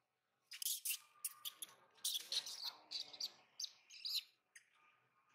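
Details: Young monkey in Siem Reap, Cambodia, crying for its mother's attention: a run of sharp, high, noisy squeals in quick bursts over about four seconds, tapering into fainter squeaks, with a faint low hum beneath.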